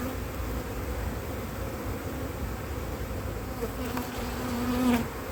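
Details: Honey bees from a drone-laying colony in a split whose first queen matings failed during cold weather in 2024; a steady, low, droning hum fills the whole stretch, with a brief faint voice near the end.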